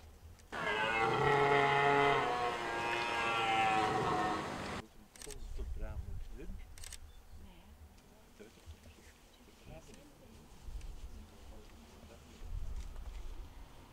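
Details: Red deer during the rut in Hoge Veluwe park, at a spot where the ranger feeds the deer apples. One long, loud, harmonic roar lasts about four seconds, then it gives way to quieter rustling and soft low sounds.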